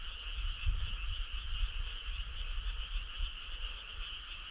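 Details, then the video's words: Dense chorus of frogs on a summer night, a constant buzzy trill held throughout, with light low rumbling underneath. "Cool frog sound"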